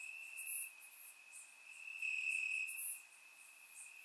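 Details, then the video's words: Crickets at night on a warm Bulgarian summer evening in the grass: a thin, constant high trill with louder swells midway, plus sporadic hissing insect pulses higher up. "Cricket Sounds - Crickets Chirping at Night"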